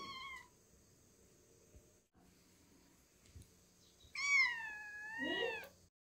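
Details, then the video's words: Calico cat giving a brief meow, then after a quiet pause a long, strong, clear meow that sweeps down and wavers before trailing off into a softer low murmur. "Calico cat says "come on baby""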